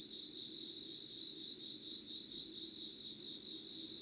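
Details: Insect voices at 5 a.m. on 25 August 2019 in Yugawara, Kanagawa, Japan, an unedited candlelit recording: continuous high trilling chirps pulsing rapidly and evenly, over a soft low background murmur.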